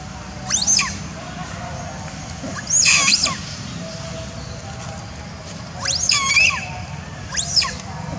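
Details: An orphaned young monkey, persecuted by other monkeys in its troop, gives shrill, arching screams in four bursts, calling for its mother.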